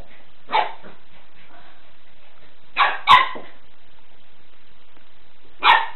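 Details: A young Golden Retriever playing with a floor cloth, trying to grab it and tumbling, gives single abrupt open-mouthed woofs one at a time, with a brief pair near the middle; said to be her first bark.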